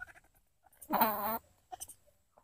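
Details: A wild long-tailed macaque in the forest, one of many there, gives one loud, nasal, slightly rising call lasting about half a second, as rain approaches.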